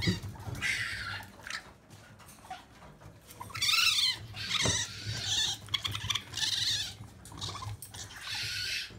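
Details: Several hungry orphaned young raccoons at a sanctuary just before feeding time, excited, their mother having died. They give bursts of hissy, raspy chittering and squeals, coming in waves with brief pauses, over shuffling and tapping.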